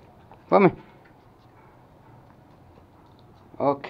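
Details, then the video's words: Toy Pomeranian puppies, male Pomo and female Pomy, playing and starting to fight at home in Kathmandu, Nepal, September 2017; two short, sharp, yelping barks about three seconds apart, with near quiet between them. "Pomeranian puppies playing"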